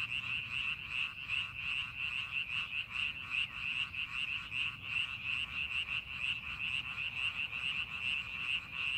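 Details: Rice paddy frogs calling as the fields are prepared for farming; dense, slightly uneven pulsed croaking in a bright high band, roughly two to three pulses each second, continuous throughout.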